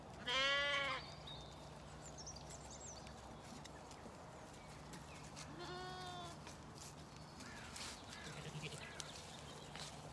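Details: Zwartbles sheep, lambs and ewes, on a farm in County Kilkenny, Ireland, finishing breakfast on a cold, misty spring morning above a river valley: one strong harmonic bleat at the start, a second softer bleat about five seconds later, steady low hum beneath.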